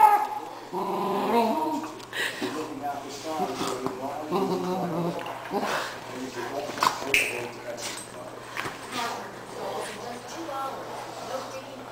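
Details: Two pet dogs, a Doberman named Bella and a new cocker spaniel named Addie, fighting indoors: rough growls and short high yips overlap in bursts, with people talking throughout and a steady low electrical hum.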